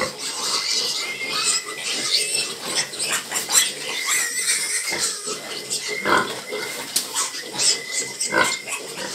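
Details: Domestic sow with her piglets in a backyard pen at night, the sow about to nurse as the piglets each take a place to suckle. Short squeals and grunting bursts come repeatedly over a steady insect hum.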